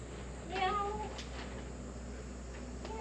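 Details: Stray cat giving a single short, rising-then-falling meow, clear above a constant low hum and faint outdoor background.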